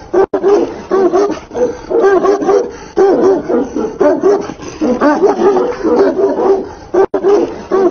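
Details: Tibetan Mastiff fighting with a man, letting out a long run of loud, wavering, rising-and-falling yowls and yelps, about one each second, continuous and harsh throughout.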